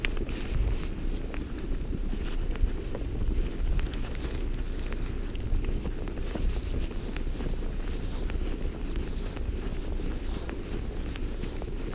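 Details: Outdoor wind rumble buffets the microphone over a broad hiss, with faint footsteps or crunching and no animal call.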